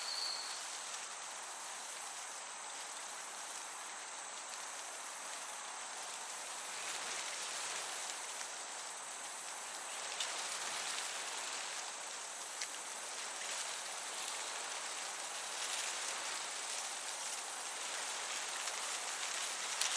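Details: Chirping crickets in a summer meadow send short high pulses at a steady rhythm, backed throughout by a soft, even wash of breeze.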